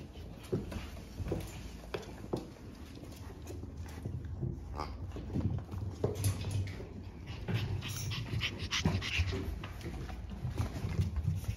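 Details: French Bulldog puppies from a sibling litter born on March 14, among them Gen and Mugi, growing up indoors: breathy, irregular puffs of noisy panting over a low rumble, with handling noise and brief quiet human voices.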